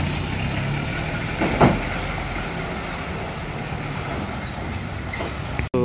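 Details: At a cattle market, an idling engine and vehicle rumble fill the scene with murmured speech, a brief knock, and a sharp click near the end, but no animal calls.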